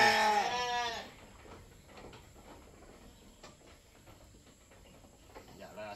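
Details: During milking for a newborn kid, a goat lets out one loud, quavering bleat lasting about a second, followed by quiet handling noises and faint voices.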